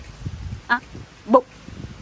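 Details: Pomeranian puppy letting out two short, bright yelps about half a second apart, the second slightly sharper and higher, over faint low background rumble.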